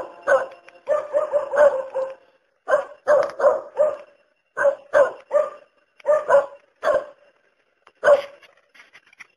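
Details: A dog barks steadily in quick clusters of two to four harsh, punchy barks, about a dozen groups over nine seconds, each bark short with a bright ringing core; little else audible.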